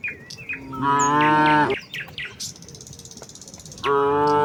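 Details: Morning village cow herd walking to the fields: two long, level moos with a rich harmonic tone, separated by a short pause filled with high bird chirps and a soft rapid trill.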